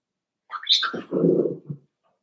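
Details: Five-week-old Cavalier King Charles Spaniel puppy in Daisy's puppy pen gives one short cry: a high, squeaky start sliding down into a lower, rougher whine lasting about a second, then a quiet indoor room.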